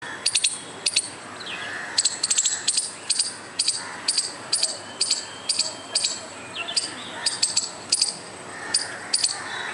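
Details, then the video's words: A squirrel making noise: sharp, high, clicky chips in quick doubles and triplets, coming in uneven bursts over about ten seconds, with faint bird calls in the background. "squirrel making noise without any reason"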